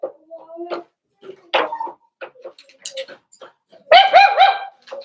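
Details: Four-week-old Cavalier King Charles Spaniel puppies in an indoor home puppy pen, meeting other dogs and trying puppy mash: short high whimpers and yelps scattered through, then a loud, wavering, harmonic whine near the end, with faint indoor background sounds.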